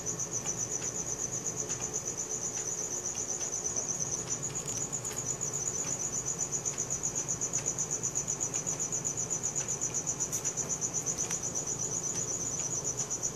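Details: Night-time cricket song captured with a Samsung Galaxy S4, a continuous shrill pulsed trill at a constant high pitch running the whole stretch, over a low rumbling ambient hum.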